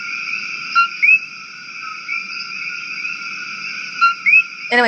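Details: Coqui frogs, an invasive species on Maui, replayed call: bright rising two-part chirps at about one and four seconds over constant high-pitched chorus bands, ending with a short clatter.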